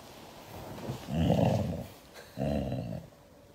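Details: Hugged Siberian Husky reacting angrily with two low, throaty growls, the first longer and louder, the second starting about a second later.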